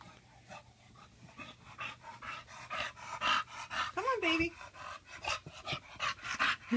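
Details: Bulldog Tank, just bathed, pants in quick rhythmic huffs while a person talks and laughs over him, a brief voiced whine-like sound rising in the middle.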